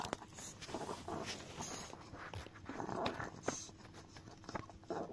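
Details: Dio the chihuahua lapping at a frying pan indoors, making soft, quiet, irregular tongue smacks and light scraping against the metal, with a faint steady hum underneath.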